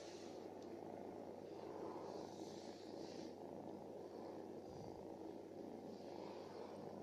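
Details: Stray cat living on the street, a female softly praised in Turkish, purring: a continuous low, rough, steady rumble with fine rapid pulsing, unbroken throughout, with a faint brief hiss higher up.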